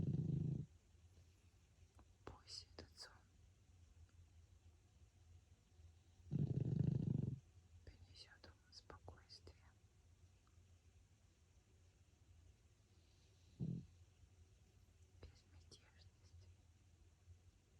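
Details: Sleeping pug Francois gives two slow, growly snoring breaths and one brief, softer snort. Quiet whispering, with light taps and clicks, runs through the pauses.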